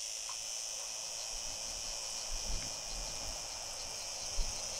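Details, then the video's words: Unidentified cicada, a singing male with a female nearby, at Fondón, Andalucía, Spain, on 9-7-2022: a steady, hissing high buzz runs without pause throughout, with faint low thumps of background noise. "Unknown cicada, singing male with female (courtship?)"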